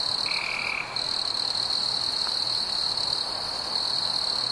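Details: Summer-evening crickets keep up a continuous shrill trill, briefly dipping, while one short lower buzzy note sounds near the start.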